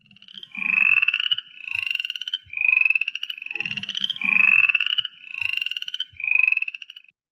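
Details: Upland chorus frogs, among the first frogs to call in Kentucky from January to early March, giving raspy rising trills like a finger run along a comb, each about half a second, repeated in overlapping bursts, with faint low knocks beneath.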